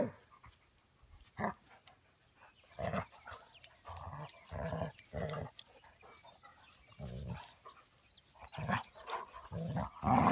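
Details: Puppy almost 20 weeks old playing with another dog; rough, low growls and grumbling bursts come in irregular clusters, with short gaps and scuffling between them.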